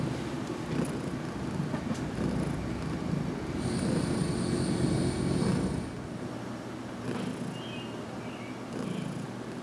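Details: Heidi, a cat who had lived in her new home for just over two weeks, purrs during her first head massage in a closet on June 6, 2019. A low, rough, steadily pulsing rumble swells louder midway, then eases, under a faint high whine.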